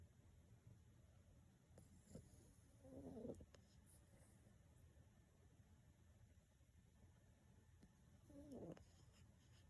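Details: Elderly, plump black toy poodle named Mu-chan, 6.5 kg, fast asleep indoors and snoring: two soft, raspy snore bursts roughly five seconds apart over steady low room hiss.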